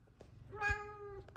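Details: Two F2 Savannah cats greeting their owner arriving home from work; a single drawn-out meow about 0.7 seconds long with a clear, steady tone and stacked harmonics, followed by a woman saying hello indoors.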